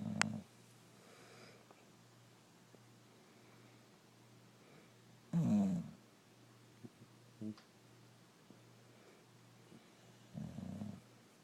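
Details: Sleeping brindle Boxer dog called Rocco snores indoors: three low, rough breaths spaced roughly five seconds apart, with faint small knocks between them in a quiet room.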